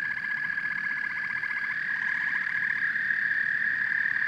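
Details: Frogs and toads calling together in a dense chorus: rapid pulsed trills overlap a continuous high droning hum, with a steady low rumbling background.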